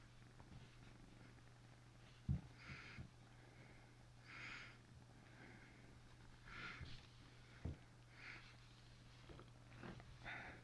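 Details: Asian leopard cat purring steadily and low, with soft breathy hisses roughly every two seconds and a few sharp knocks; quiet indoor background.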